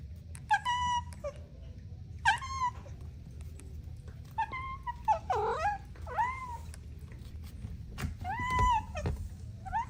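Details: Kittens playing with their mother and two siblings: short, high mews come every second or two, some with a quick falling-then-rising bend, over a low background hum.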